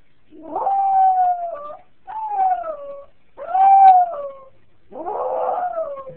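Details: Jack Russell Terrier named Bobby crying when a family member leaves, four drawn-out tonal whines each falling in pitch, about a second long with short gaps, a person softly comforting him nearby.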